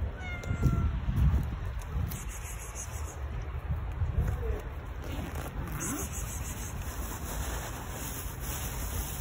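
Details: Stray female fluffy cat, fed regularly along with her crew of other cats in a neighbourhood, gathering close and biting a finger while being fed; a few short, thin meows come early on over steady low rumbling background noise.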